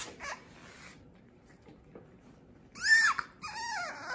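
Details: French Bulldog puppies, the offspring of Fanya and Meena, playing indoors: short high whining yelps near the end, a brief squeak early on, quiet room between.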